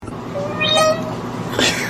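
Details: Domestic cat giving a single mid-pitched, tonal meow that holds steady then fades, with people talking and laughing around it.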